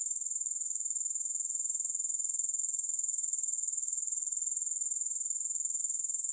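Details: High-pitched grasshopper trilling, no music, a dense sizzling buzz beating quickly and regularly about four times per second, steady in loudness throughout with no other sounds.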